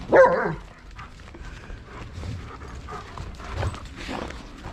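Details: Domestic dogs in a pack feeding on a deer carcass during a snowstorm, playing and eating together; one short loud bark-like yelp near the start, then quieter rustling, chewing and shuffling sounds with faint muffled noises.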